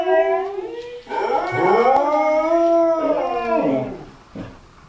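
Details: Two Cardigan Welsh Corgis howling together in long, wavering, overlapping tones that rise and fall.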